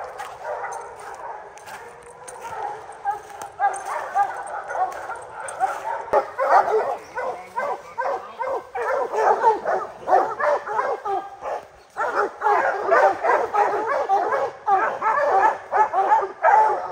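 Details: Three-month-old hound puppy Rocky, a Gray's Rack Em Willy x Blackstone's Ram-Paige cross, baying at his first treed black bear; rapid, dense, overlapping barks and yips, irregular and building in loudness, possibly more than one dog.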